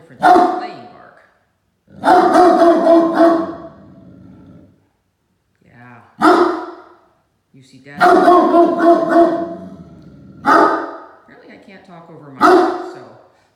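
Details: Playful Great Danes, 7-month-old Mikey and two-and-a-half-year-old Ellie, tussling over shared toys; bursts of deep barking come in clusters about every two seconds, with growly, throaty noises between and a person's voice in the background.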